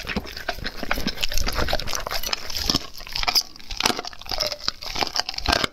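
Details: Dog eating raw food, recorded close up: dense wet chewing and crunching with sharp snaps and soft smacking, steady and irregular throughout, with no other clear sounds.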